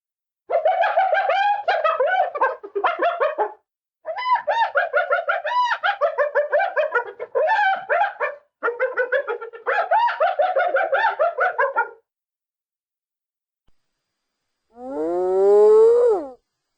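Bouts of quick, tightly repeated yelps give the hyena's familiar cackling laugh, broken by brief pauses. After a silence, a single drawn-out note swoops upward like a whoop.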